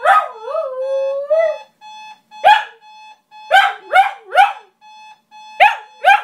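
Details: Shiba Inu dog singing to wake its owners for work: a wavering, whining howl glides up and down, then sharp rising yelps come in quick bursts. A steady electronic alarm beeps throughout.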